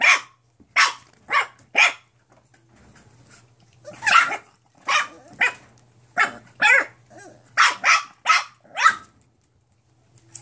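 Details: Litter of mixed-breed foster puppies, nine weeks old, yapping in rapid bright bursts, several barks close together, a brief lull, then a denser run of high-pitched yips before falling quiet, over a faint low hum.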